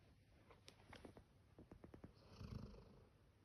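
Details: A male Labrador Retriever born in October 2019 snoring like a human: soft, low rumbling breaths broken by quick fluttering pulses, building to a louder, drawn-out rasping snore near the end.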